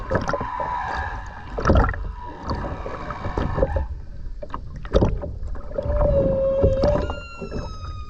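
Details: Humpback whale song recorded underwater by a skin diver with a GoPro off the Ogasawara Islands, Tokyo, Japan, on 29 January 2022 during a dolphin swim tour; long moaning tones, a steady mid-pitched wail, then rising harmonic whoops over bubbly, clicking water noise.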